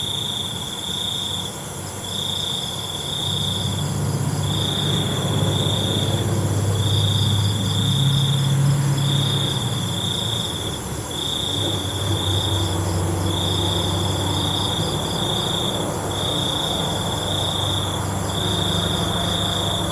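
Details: Crickets chirping at night in high, regular trill bursts, while a low droning hum, like a distant engine, swells underneath through the middle of the recording.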